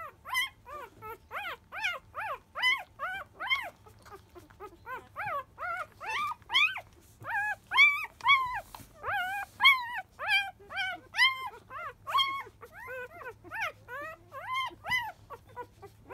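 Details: Newborn field-type Labrador Retriever puppy, five days old, at its 10 a.m. feeding: a steady run of high, rising-and-falling squeals and whines, roughly two or three per second, loud and clear throughout.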